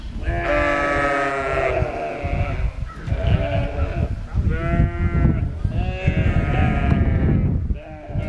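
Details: Two lambs rejected by their mother and nursed by a sheepdog on a sheep farm bleat in quavering, wavering cries, several long calls in succession, with low rumbling background noise.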